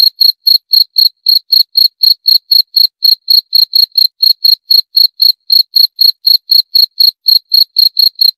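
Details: Continuous cricket call: crisp, tinny chirps at a brisk pace of around four per second, steady and unbroken throughout, with nothing else audible.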